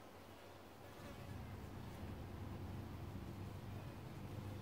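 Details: Wild honey bee hive in Australia, a dense continuous low hum of many bees, swelling slightly after the first second and holding steady, with no other clear sounds.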